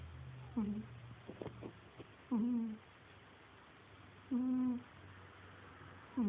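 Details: Cagney, a pet cat, snoring: a few faint clicks and rustles at the start, then three drawn-out, whistling nasal hums with a steady pitch, about two seconds apart, in a quiet room.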